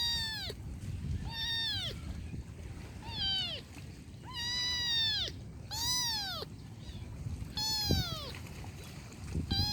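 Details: Kitten crying with a run of about seven high, drawn-out meows, some longer and louder than others, at irregular intervals over a faint low background hum.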